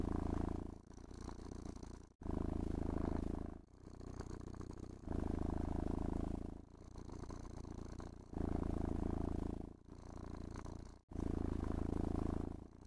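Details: Pet cat enjoying grooming with a brush and gentle petting, purring contentedly inside a room; low, steady rumble rising and falling in breath-length swells roughly every one and a half seconds, brief silent gaps between breaths.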